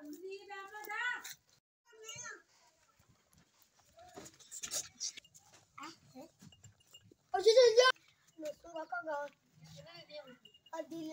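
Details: Sheep while drinking, giving wavering, harmonic bleats: one long quavering call at the start and a louder, harsher bleat near the end, with people talking in between.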